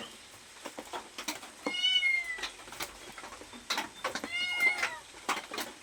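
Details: Cat meowing for food: two long, wavering meows, the second slightly bent downward, amid scattered clicks and rustling.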